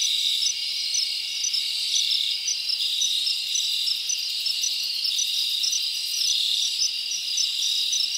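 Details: Crickets chirp through a summer night in the forest. A constant high-pitched buzzing chorus carries rapid, regularly repeated bright pips riding over the steady drone.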